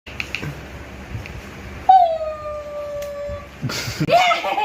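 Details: Pet dog Mimi with a new spinning, lit-up toy, giving a drawn-out tonal whine that slides slightly downward and lasts over a second, framed by brief noises and household voices indoors.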